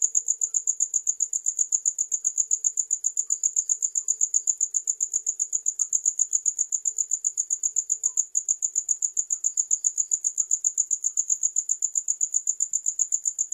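A cricket gives a high, steady, rapidly pulsing chirp that runs on without pause.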